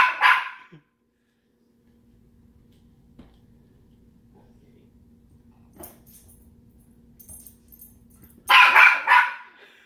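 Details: Pet dog barking at another household pet: one short bark at the start, a long quiet stretch with faint low hum and small knocks, then a second loud, rough bark near the end.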